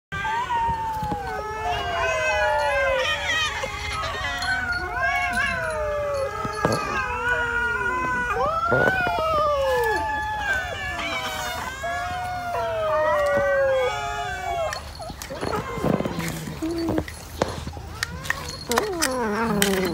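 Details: Cats, apparently several at once, given raw fish; overlapping wavering yowls and meows sweep up and down almost without pause, densely layered and loud throughout, with a few sharp knocks near the end.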